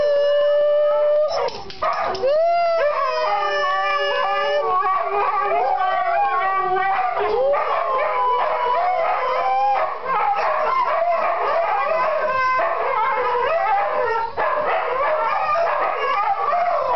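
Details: Three Siberian huskies howl together, each trying to outdo the others, long wavering tones sliding up and down over one another.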